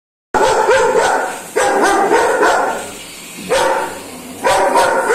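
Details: German Shepherd dog, scared of a remote-control car, barking in loud single woofs at roughly one-second intervals, each bark sharp and bright, with short gaps between bursts.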